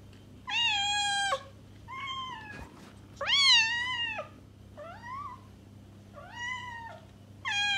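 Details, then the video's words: Pet cat meowing to lure a stray cat: six meows, a few rising in pitch before dropping, evenly spaced over several seconds above a soft, steady hum. "Cat Meows - To Attract Your Stray Cat!"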